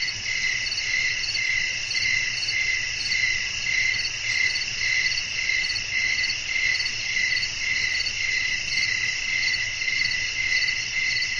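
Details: Relaxing nighttime nature scene of crickets and wind: a constant high-pitched pulsing chirp, around two beats per second, with a quiet low rumble underneath.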